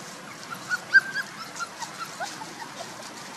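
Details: Puppies one month and two days old give a run of short, high, squeaky whimpers, about ten quick peeps in three seconds with one sharper cry near the first second, over a soft background hiss.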